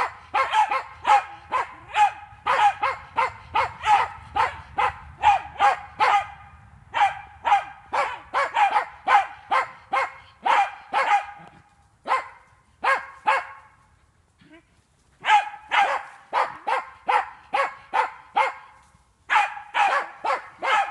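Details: Jagdterrier on wild boar in an enclosure during training; long stretches of rapid, steady barking, about two barks a second, broken by brief pauses, low rumble underneath early on.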